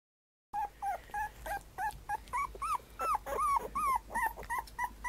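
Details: A black-and-tan puppy whimpering: a rapid series of short, high, whiny yelps, about three per second, some rising and falling in pitch, continuing without pause.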